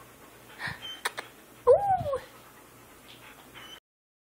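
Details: Three-week-old male pup, a grey wolf, Siberian husky and German shepherd cross, gives one short high whine that rises and falls, preceded by faint rustling and followed by quiet room noise.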